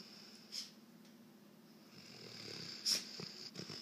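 A Weimaraner snores softly, a low rumbling breath under a steady high-pitched hiss.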